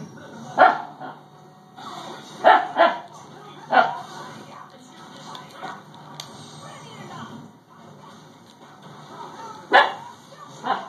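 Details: Female Siberian Husky puppy indoors, growling and barking at a doorstopper she dislikes: about six sharp, high yapping barks over eleven seconds, some in quick pairs, with a person speaking softly in the gaps.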